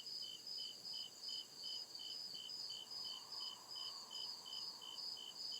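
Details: Night chorus of crickets deep in the woods, short bright chirps pulsing evenly about two or three times a second above a constant shrill trill; a soft lower drone swells in the second half.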